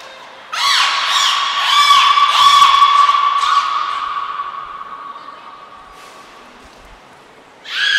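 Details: Beluga named Niko during a training session at Port of Nagoya Public Aquarium on 25 February 2024; layered harmonic squeals with bouncing, arching pitch over a steady tone, strongest in the first three seconds, fading, then a sharp burst at the end.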